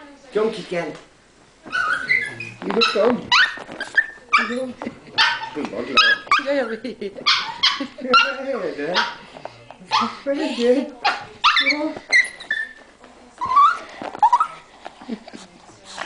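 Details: Delighted at her owner's arrival, pet dog Sezza keeps up sixteen seconds of excited whining and yelping, with pitch sliding up and down in quick bursts, mixed with a person's encouraging voice in a small room.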